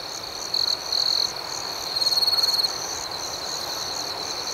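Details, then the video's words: Crickets chirping at night, their high sustained trill steady underneath while two louder short bursts come early, followed by a rapid pulsed chirp sequence just before the midpoint. "Soothing Cricket Sounds"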